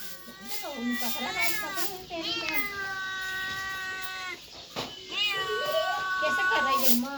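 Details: Cats and kittens meowing indoors: several overlapping harmonic meows, one long steady drawn-out cry in the middle, with shorter rising-falling mews before and after and some background voices.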